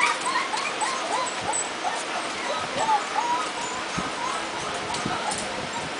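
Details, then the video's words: Litter of Jitterbug puppies, just over a month old, lively together; repeated short squeaky whimpers and little yips, with a person talking quietly in the background. "Jitterbug puppies"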